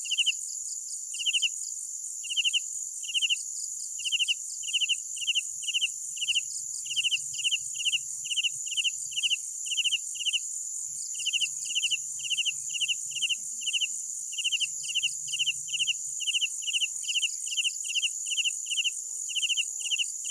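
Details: Crickets singing at night, used as soothing nature sound: a long run of regular pulsed chirps, several per second in stretches, over a loud continuous high insect drone and faint low rumbling.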